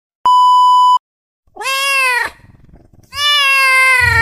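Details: Cat in a bad mood gives two long, loud, nasal meows, each bending up then down and lasting under a second, after a sharp electronic beep at the start.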